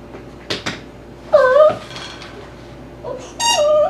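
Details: Dhali, an eight-week-old Tibetan Terrier puppy, plays among toys in his x-pen indoors; two short, whiny, downward-bending whimpers with harmonics, each under half a second, follow soft knocks and clatter from the pen.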